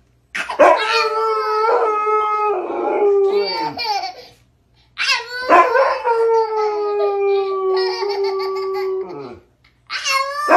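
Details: Siberian Husky playfully talking with its owner: two long, steady howling phrases, each opening with a sharp rising yelp and ending with a falling whine, a brief silence between them, and a third starting at the end.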